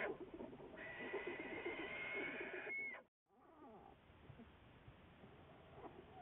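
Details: American black bear followed by research biologists, February 10, 2014; a sustained, raspy, whining cry for about three seconds that stops abruptly, then quieter rustling and soft murmurs.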